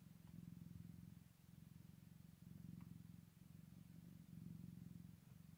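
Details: Low, even purring from a Scottish Fold cat on the first day after a birth with newborn kittens, pulsing in slow waves with slight swells in loudness; quiet room, a faint tick midway.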